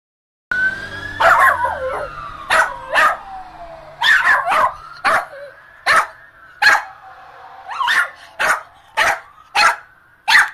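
A small Shih Tzu yaps repeatedly, each bark short, bright and snappy, coming roughly every half second to second. Behind it a siren-like tone wails, falling and rising in long sweeps.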